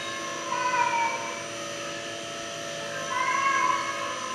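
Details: Farm cat in South Korea trapped in a room and crying, two plaintive meows separated by a gap of about two seconds, each a drawn-out wavering wail, over a constant humming background.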